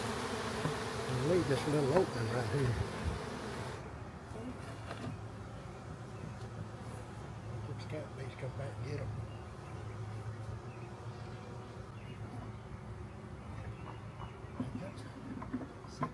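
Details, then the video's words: Honey bee swarm being captured from a backyard and moved into a hive; steady low droning hum of many bees throughout, louder and broader in the first few seconds, with scattered handling knocks. "Country Man Captures Massive Honey Bee Swarm!"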